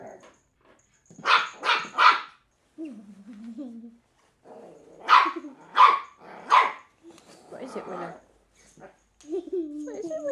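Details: A three-month-old female Cairn Terrier pup playing with an empty bottle gives shrill yaps, usually three in rapid succession, then pauses, with lower drawn-out whining between bursts.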